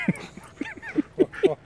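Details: Rhodesian Ridgeback siblings, a brother and sister, playing together in a forest; five short, high, tonal yips or whimpers follow one another roughly every quarter second, each brief and slightly rising, over quiet outdoor background.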